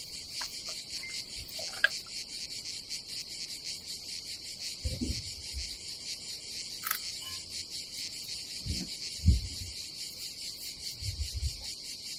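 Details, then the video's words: Cicadas at a seaside campsite above the Adriatic Sea in Croatia on a summer day: a continuous high, pulsing hiss, with occasional dull thumps and knocks from camp activity below it. "nature cicadas sound"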